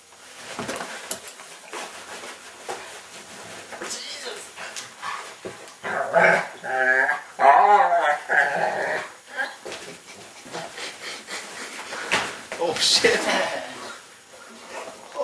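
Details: Indoor pet dog trying to reach his football, giving strange warbling, Chewbacca-like whines mixed with throaty growly moans, while people talk and laugh nearby in a small room.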